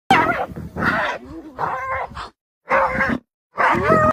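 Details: Spotted hyenas mobbing a lion to free a clanmate caught in its jaws: loud, harsh, wavering whoops and squealing giggles in short bursts separated by brief silences, several voices overlapping.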